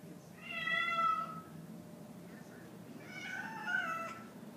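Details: Grey and white house cat Cosmo, upset by an orange tabby that comes around, gives two drawn-out harmonic meows, the first strong and wavering, the second fainter and falling, indoors with a quiet pause between them.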